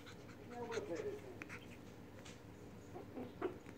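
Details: Puppies recorded 2 September 2019, giving short, thin whimpering squeaks, first in a brief wavering run and then a couple of isolated squeaks near the end, over a steady low indoor hum with faint voices and handling noises.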